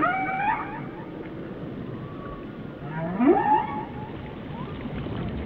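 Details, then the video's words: Whale song: a high descending whistle-like moan, then a quick upward whoop rising into a squeal, over continuous low ocean noise. "Song of the Whales"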